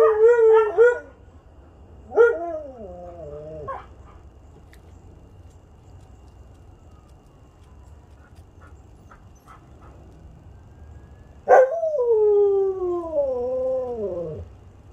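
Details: Group of Siberian huskies with a visiting canine friend, Sunday howling session: short wavering howls with yip-like onsets early on, a long silence, then a drawn-out howl that wobbles and slowly slides downward over three seconds.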